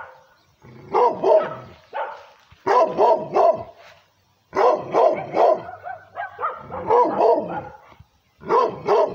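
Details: Angry barking from a female pit bull and Redbone Coonhound mix directed at the person filming: rough, harmonic barks in clusters of two to four, roughly a second of silence between clusters, steady and loud throughout.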